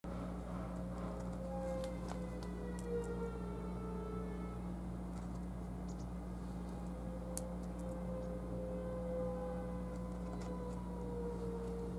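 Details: A steady low hum fills the recording, with faint drawn-out tones and a few scattered clicks but no clear animal calls.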